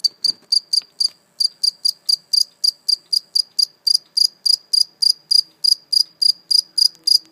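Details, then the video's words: A live cricket, caught and later released, chirps indoors in a fast regular series of short high pulses, about three per second, with a brief pause near the start and no other clear sounds. "Real live cricket chirping sound"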